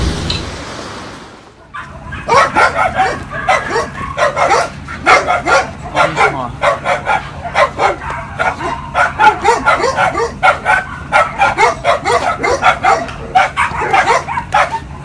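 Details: Dogs reunited with their owners after a long time, reacting with excitement: after a quiet start, a rapid run of high, whiny yelps and yips pulses on and off for about thirteen seconds, with a steady low hum beneath.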